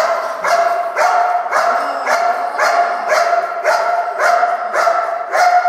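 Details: Belgian Malinois in hold-and-bark work, giving a steady run of loud, even barks about twice a second, each with a strong harmonic ring, no other voices heard.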